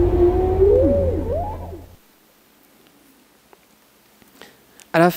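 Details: Humpback whale song from Roger Payne's unretouched recording, heard within Alan Hovhaness's 1970 symphonic poem and blended with the orchestra: swooping, curving moan-like tones slide up and down over a low sustained orchestral drone, then near silence and a brief burst of speech.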